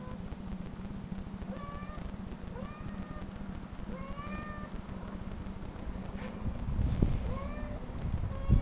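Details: Cat meowing from replayed online recordings that made a listening dog growl; about seven short, rising-then-falling meows spaced roughly a second apart, with a constant low hum and a louder rumble near the end.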